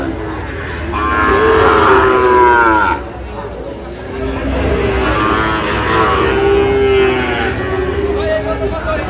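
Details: Sahiwal bull calves at the Ambari cattle market, Dinajpur district, Bangladesh, 3 October 2025. A long, strained moo lasting about two seconds is followed by a second extended, wavering bellow, over a constant murmur of voices and market activity.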